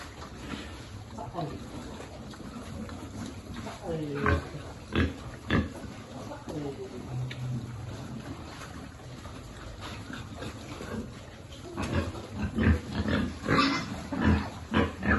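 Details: Piglet at feeding time on a pig farm, giving short harmonic grunts and squeals in bursts around the fourth to sixth seconds and again near the end, with a human voice talking in the background.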